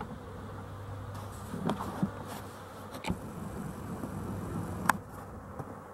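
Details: Honey bees around their hive at dusk, dated 12-11-23, stirring as the light fades; a low steady drone under a faint murmur of wings, broken by a few crisp knocks.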